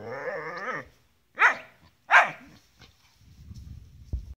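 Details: Play-seeking Gerberian Shepsky calling to his unwilling collie cross German Shepherd sister: a drawn moan, then two sharp, loud barks, followed by low rumbling scuffling noise.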